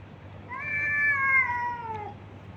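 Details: Street cat, a stray being fed, giving one drawn-out meow lasting about a second and a half, clear harmonics gently falling in pitch toward the end, over a low steady background hum.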